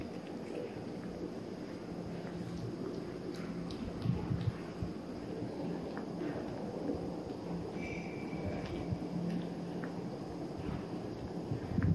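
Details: Steady low rumbling noise with scattered soft clicks and taps and one brief thin tone, with no animal calls heard.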